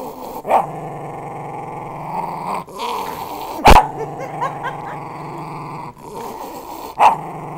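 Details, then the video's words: Protective West Highland White Terrier giving a continuous rough growl, broken by three short sharp bark-like bursts spaced a few seconds apart. "West highland terrier is very protective"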